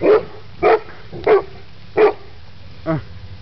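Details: Eleven-month-old Mastiff pups at play with a horse give regular barks, roughly one every two-thirds of a second, five in all, each short and chesty, the last one lower and rougher.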